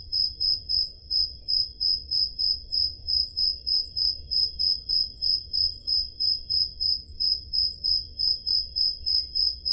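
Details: Peloponnese, Greece, summer night: crickets pulse in a continuous shrill chirp about three times a second, recorded on a Zoom H5 digital recorder, backed by a low soft rumble.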